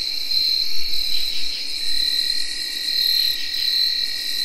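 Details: Nighttime insect sound in early October 2021: a smooth, unbroken tree cricket whirring drone with high field cricket chirps pulsing on top and faint rasping katydid calls.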